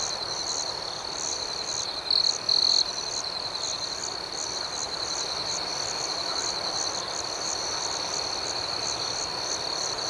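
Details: Crickets chirping at night: an even, high-pitched trilling chorus with a rhythmic upper pulse, and two close, louder buzzing trills in quick succession early on.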